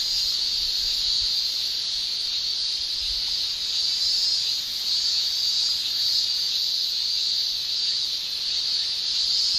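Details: Male Japanese cicadas shrilling in a Japanese summer, tymbal song forming an unbroken high-pitched hiss-like drone from many insects, even in loudness throughout.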